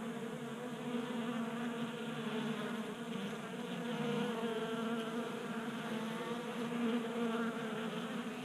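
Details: Honey bees active in January warmth in Colorado, feeding from a 3D printed feeder on a workbench. Overlapping buzzing of several bees, a constant hum whose pitch drifts up and down as individuals approach and leave.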